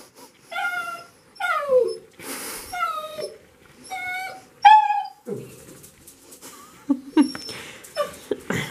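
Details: Dog whining with excitement as its owner comes home: a run of high, tonal whimpers, each sliding downward, repeated roughly every second, with short breathy gaps and a few sharper yelps near the end.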